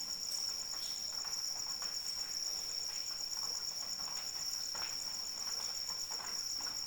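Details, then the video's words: Rain-soaked night ambience dominated by a cricket's constant high, buzzy pulsed trill, steady in pitch and volume, with soft rainfall and intermittent drop taps around it. "Suara Hujan dan Jangkrik Pengantar Tidur"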